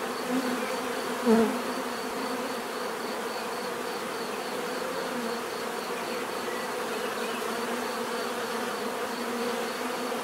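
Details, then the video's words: Many bees humming together in a constant buzzing wash, broken just after the first second by a sharp, loud buzz of one bee flying very near, then settling back into the steady drone. "bees therapy relaxing natural buzzing sound"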